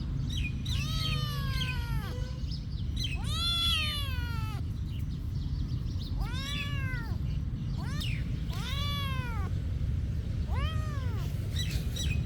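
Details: Cat at a monastery, its daily activity; five drawn-out, arching meows with rich harmonics, each about a second or more long, spaced roughly two seconds apart over steady low outdoor rumble.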